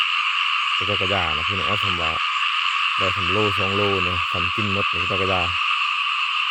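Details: Numerous small frogs in a rice field giving throaty, pulsing croaks in two long runs of rapid notes separated by a brief pause, over a constant, dense, high-pitched chorus.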